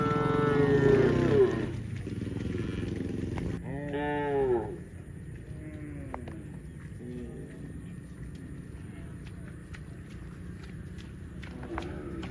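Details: Cow mooing: a loud, drawn-out harmonic moo in the first second and a half, then a second moo rising and falling near four seconds, followed by fainter short lowing calls over steady background noise.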